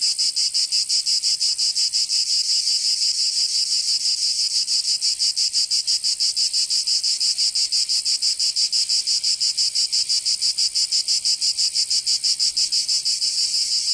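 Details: Rhythmic shrill drone of cicadas in summer, recorded in Provence in the south of France; a continuous high sizzle pulsing evenly about three times per second over the whole stretch, no birds or voices.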